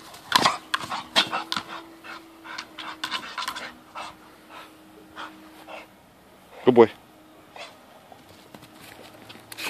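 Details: Pit bull panting while playing with a zoomer ball: quick breathy huffs repeat in a steady run for several seconds, then a sharp loud squeak bursts out, with voices speaking nearby.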